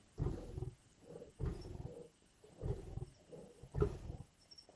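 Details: At a carcass in Indian bush, lions give four heavy, throaty growls about a second apart, each a rough rumbling burst; faint high chirps can be heard in the background.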